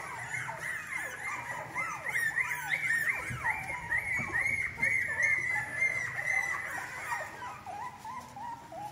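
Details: Litter of female English Cocker Spaniel puppies, bred in Spain for August 2022 delivery, keeps up a busy chorus of thin arching whimpers and squeaks, many voices overlapping, loudest midway, then thinning to a few drawn-out cries.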